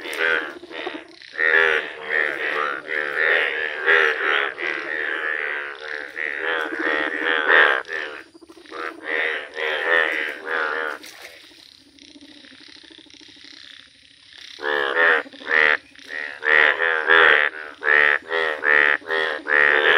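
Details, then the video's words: Indian bullfrog chorus, yellow frogs calling in nature: rapid, buzzy, harmonic croaks in fast runs, a quieter lull near the middle with a low drawn-out groan, then the croaking resumes strongly. "Wonderful Indian Bullfrog Video | Frog Sounds"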